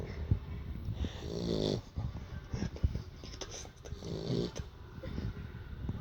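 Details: A Beagle bitch sleeps after playtime, her snoring heard as deep, buzzy inhalations roughly every three seconds, layered over soft low rumble and small clicks of movement.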